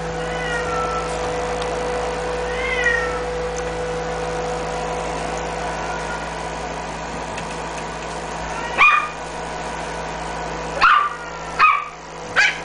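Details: A female smooth-coat Chihuahua puppy, blue and white, 47 days old on 19 May, in Osaka, gives thin, high whimpers, then sharper yelping cries over a steady mechanical hum.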